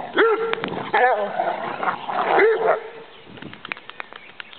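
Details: Rhodesian Ridgebacks Farid, Muck and Kimani romping together at play; rough growling and yelping vocalisations with short whining rises, loud bursts in the first three seconds, then quieter scuffling and clicks.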